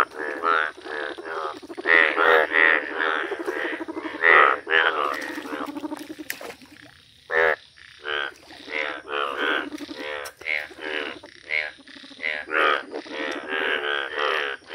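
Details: Yellow Indian bullfrogs calling in a village: a dense, overlapping chorus of harsh, harmonic croaks, pulsing almost without pause, with brief quieter gaps around the middle.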